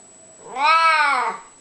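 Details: Ageing, unwell pet cat known for talking, answering its owner with one loud, long meow that rises, holds and tails off, harmonically rich, indoors.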